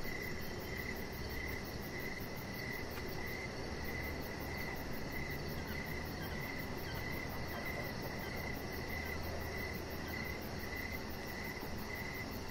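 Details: Outdoor evening crickets sound beside a deck and a lying chihuahua puppy, a persistent high chirping trill pulsing evenly for the whole stretch above a continuous low noisy rumble.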